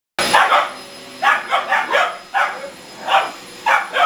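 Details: Two 17-week-old Boxer puppies, Murphey and Miley, barking at a hoover indoors; short sharp barks come in irregular bursts, several overlapping, with brief pauses between volleys.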